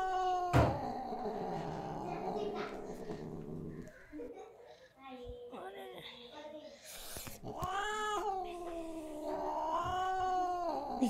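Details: Cat in a cute cat compilation, with human speech mixed in. A long, droning cry opens the scene, chatter follows, then loud, stretched, wailing meows rise and fall near the end.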